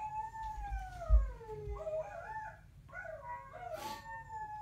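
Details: Coda and Diesel, two dogs, howling together: long wavering tones gliding down from high to lower pitch, with overlapping voices that twist and warble in the second half, plus a brief low thump.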